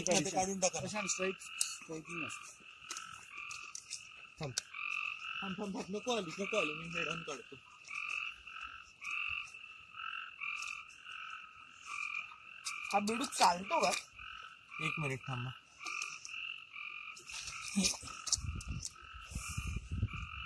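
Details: Frogs calling at night in the Amboli hills forest, Sindhudurg, with no background music: a steady chorus of short, rapidly repeated two-toned notes, broken by several louder, lower, rasping croaks.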